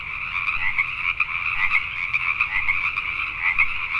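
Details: Pacific tree frogs calling at night in Richmond, British Columbia, Canada: a dense chorus of overlapping rapid croaks, two bright bands of sound with constant layered pulsing, many frogs at once.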